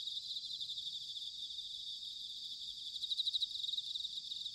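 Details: Bell crickets in autumn, recorded at Sanuki, Chiba, Japan: a quieter dense insect chorus of high shimmering trills, with a brief burst of louder pulsed chirps toward the end.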